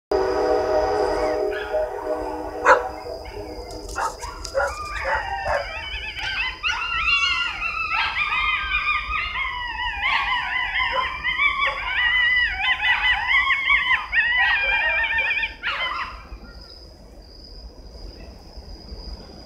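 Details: Coyotes howling and yodeling at night on a crisp fall evening from a wood line about 50 feet away, greeting an oncoming train. A low horn-like tone opens, then a chorus of wavering, overlapping yips and howls runs for about ten seconds before fading, with a steady high whine throughout.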